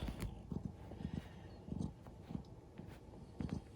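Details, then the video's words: Rescued tortoiseshell cat with a reverse sneeze while kneading indoors: a run of low, rough snorting gasps, roughly every half second, with short pauses between bursts and a quiet room behind. "ふみふみしながら しゃっくり？逆くしゃみ？する猫"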